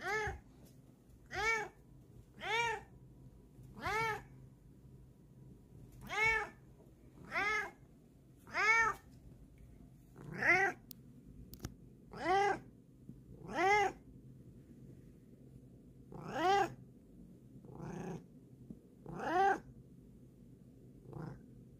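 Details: Female cat showing her paws, producing a long run of about seventeen bright meows at roughly one-second intervals, varying slightly in loudness and length, with a little low background hum.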